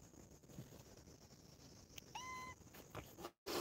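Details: One of four family cats playing and quarrelling at home gives a short, high, clear meow lasting under half a second, steady in pitch after a slight upward start, over a soft hissing background with a few light clicks and a brief cut-out.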